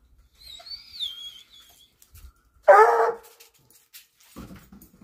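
A Treeing Walker Coonhound gives a single loud, full-throated bark after a thin, high whine.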